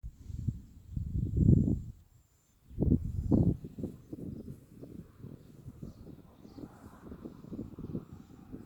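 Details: Claudie, a pony of the Rubyvale Horses herd, snoring blissfully during a massage in December 2018: deep, rumbling low breaths, two loud snorting exhalations early on, then softer rhythmic snores about every two seconds.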